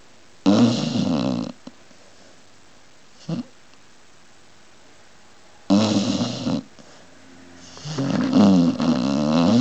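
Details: Pit bull dog snoring in its sleep: loud, raspy, rattling snores about a second long, spaced several seconds apart, with a brief faint snort in between.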